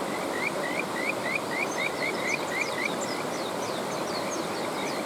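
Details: Kajika frog calling over a rushing mountain stream: a rapid series of short rising whistled notes, about four per second, with a fainter chorus of answering trills higher up and a steady roar of flowing water beneath.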